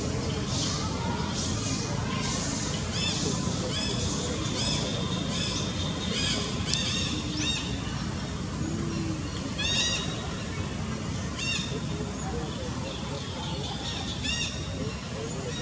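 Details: Baby monkey Rex begging from little Vikki: a run of short, high, arching squeals, some in quick pairs, repeating every second or two over steady broadband background noise.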